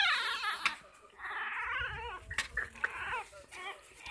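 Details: Toy Rat Terrier puppies, a litter offered for sale, giving high whiny whimpers and squeaky yelps that rise and fall in short wavering bursts, indoors with faint background noise.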